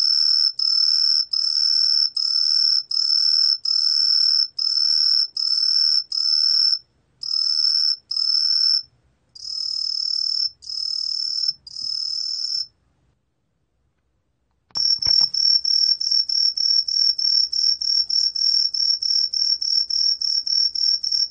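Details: Green pine cricket song: shrill high whistled pulses repeated roughly three times a second, a couple of seconds of silence, then a faster, steady run of high trills; a faint low thump marks the restart.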